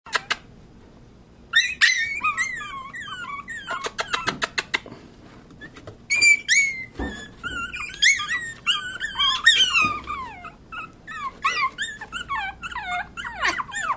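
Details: Pomeranian puppies indoors give a run of high, wavering whimpers and squeals, many sliding down in pitch, in overlapping bursts with short quiet gaps and a few sharp clicks between them.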